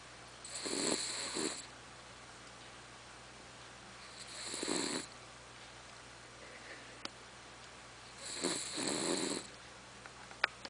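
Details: Sleeping female dog Charlotte, whose snoring is likened to a tractor, gives three rasping, broadband snores about four seconds apart. Two faint short clicks break the quiet between breaths.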